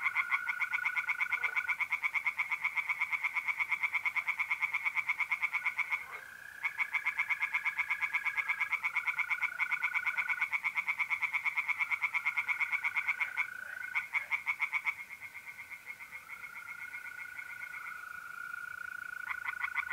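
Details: Tree frogs singing at night in a pond in mid-April in north-eastern Italy: fast, regularly pulsed rattling calls run almost continuously, with short pauses, over the steady high trill of mole crickets.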